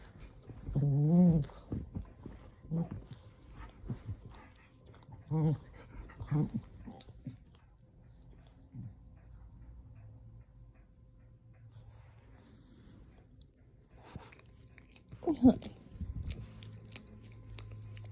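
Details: Keeshond squirming on a couch as it gets comfortable, producing a wavering, groan-like whine near the start and shorter moans after it, then a quiet stretch before more rustling and a final low grumble.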